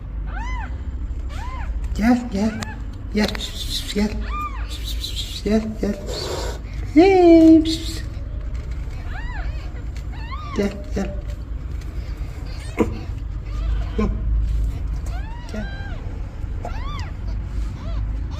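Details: Mother cat asking for help, newborn kittens calling: intermittent high arched kitten mews with a louder, lower meow partway through, among short thumps and clicks over a low constant background.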